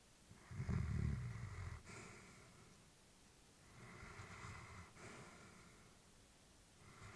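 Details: Elderly female Labrador Retriever asleep in a quiet room, breathing with a deep, rumbling snore on the first inhale, then a steady rhythm of softer airy breaths about every second or so, alternating low rasping inhales and hissing exhales.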